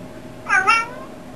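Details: Pet cat, apparently named Boo or Leanna, gives a single short meow, a harmonic call of two linked pulses, in a small room with a low steady hum behind it.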